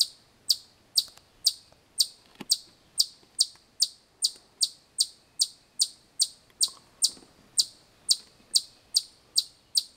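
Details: Chipmunks making a loud noise: a long steady series of short, high, sharp chips, roughly two to three per second, with faint rustling in the background.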